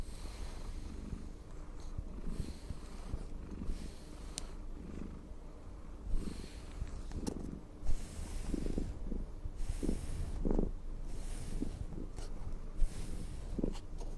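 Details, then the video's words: Domestic cat purring while being brushed: a steady low rumbling purr with soft rhythmic swells about once a second, mixed with faint brushing strokes. "asmr cat purring and brushing"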